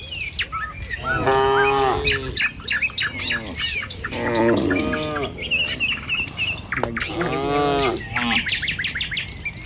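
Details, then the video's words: Tame village cattle walking along a village road toward their pen in the morning, moving as a herd; three drawn-out, harmonic moos spaced a few seconds apart, with busy chirping birdsong overhead throughout. "Suara Sapi Moou Sepanjang Jalan Menuju Kandang"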